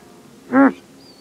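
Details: A male Grant's gazelle gives a single abrupt alarm snort, brief and nasal with stacked tones. A thin high bird whistle follows just after.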